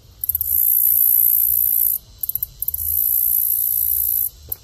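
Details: Green grasshopper singing: very high, hissing buzz held in two long bursts of nearly two seconds each, each begun by a few short ticking pulses, over a faint low rumble.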